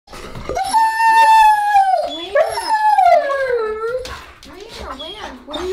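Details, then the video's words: German Shepherd dog howling and complaining to its owner indoors: a long, harmonic, wavering howl, level then sliding down, followed by shorter rising-and-falling whiny moans. "Talking German Shepherd Complains to Mom!"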